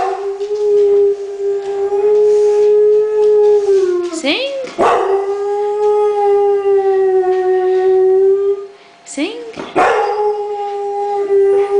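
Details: Alaskan Malamute from a pack of six howling along while its owner urges it to sing: long, steady, tonal woo notes held for several seconds, broken by short sliding yelps around the middle, then resumed.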